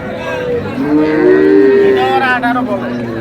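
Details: Dairy cattle, improved-breed milking cows and calves, at Ambari livestock market in Dinajpur; a long, smooth, level-pitched moo rising slightly then held, amid crowd chatter and market noise.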